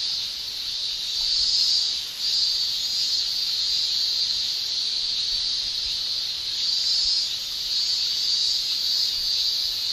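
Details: Summer cicada chorus in Japan, males singing: a continuous piercing shrill that keeps a constant high pitch, briefly dipping near the two-second mark, then surging again in slow waves.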